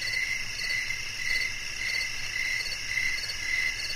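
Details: Cricket chorus with regular high chirps pulsing just under twice per second, backed by a dense continuous insect drone and a faint low rumble.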